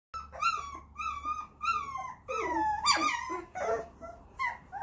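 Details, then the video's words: German Shorthaired Pointer puppies indoors giving a string of high, tonal whimpers and whines that slide downward, about five cries over five seconds with rich overtones and brief pauses between them. "Deutsch Kurzhaar puppies"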